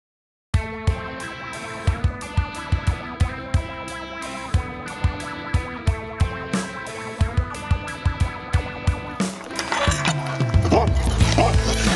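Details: Distorted electric guitar music with a steady plucked beat fills the recording and turns noisier and denser near the end, with no animal voice.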